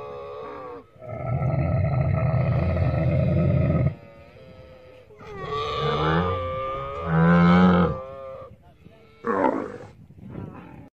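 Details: Camel roaring in a long, deep, buzzing bellow of about three seconds, then a wavering, gurgling groan, followed by short rough bursts near the end.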